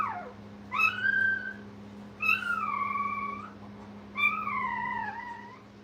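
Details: Brittany puppies beside their mother at a puppy training kennel, live: three clear, loud whines spaced about two seconds apart, each starting high and sliding or wavering downward, steady hum underneath.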